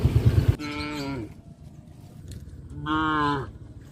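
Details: Tame cows herded toward a grazing field in a village give two drawn-out, nasal moos, each under a second long and rich in overtones, separated by a quiet gap. A brief thumping noise comes at the start.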